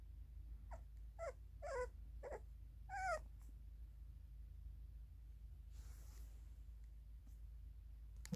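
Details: Puppies, littermates, making a short run of five high, wavering whimpers in the first few seconds, then near silence with low hum and faint rustling.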